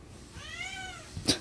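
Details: Domestic cat playing with a nut, giving one soft meow with a slightly rising then falling, harmonic tone lasting about half a second, followed by a sharp click or knock.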